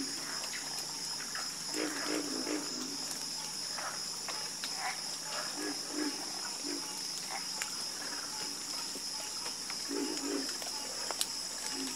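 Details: Croaking frogs in a soothing chorus, with clusters of short, low croaks separated by brief pauses. A persistent high insect trill fills the background.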